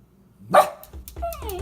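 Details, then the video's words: Toy Poodle Lola, sick that day yet hyper, reacting to birds she sees outside: one sharp, loud bark, followed by softer high whines and quiet background noise. "Toy Poodle Lola FREAKING on Bird Watching!"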